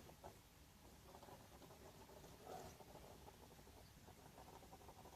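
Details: Hedgehog snoring while asleep in a box put out for it in a garden, one of a handful of friendly visiting hedgehogs; a fast, steady run of soft low pulses, like a small pump working, with a slightly louder swell midway.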